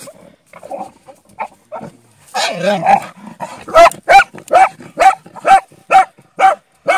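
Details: A Bull Terrier, apparently out hunting, gives a run of sharp, high yelping barks, about two each second.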